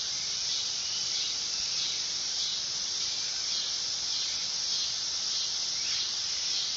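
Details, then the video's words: Continuous shrill buzzing of a dog-day cicada (Neotibicen canicularis), loud and steady with gentle irregular swells in intensity. "Cicada sound / call / noise | Dog day"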